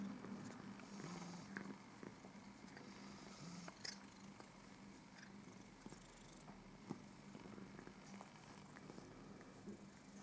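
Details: Purring house cat making itself tidy, its steady low drone continuing for about ten seconds beneath scattered sharp clicks and licking noises, with the purr fading a little toward the end.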